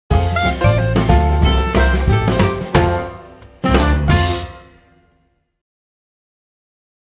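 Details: Drum-heavy music with bass and percussion plays for about five seconds, then fades into silence.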